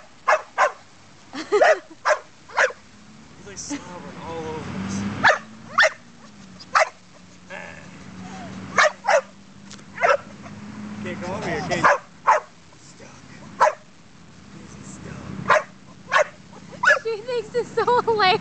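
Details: Indoor pet dog barking persistently because no one will pet him: a long series of sharp barks, sometimes in quick doubles, with pauses, while people talk and laugh nearby and a low hum runs underneath.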